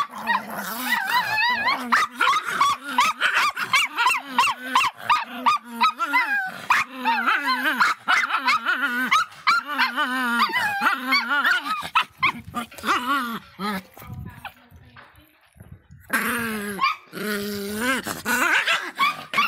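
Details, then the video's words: A fierce Miniature Pinscher barks and snarls almost nonstop. The rapid, uneven run of raspy, wavering barks and yelps barely pauses, with a short quieter gap near the end before the barking resumes. "som latidos de pinscher miniatura bravinho"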